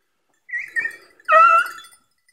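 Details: Hounds of Beagle and Segugio breeds on an August hare hunt: a softer wavering yelp, then a louder, sustained, ringing bay lasting about half a second, clear and tonal against silence.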